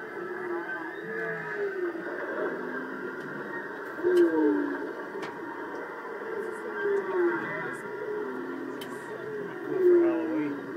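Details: Whale off Maui, with a baby whale present, gives low, moaning tonal calls that swoop up and down in pitch, repeating every few seconds in the ocean.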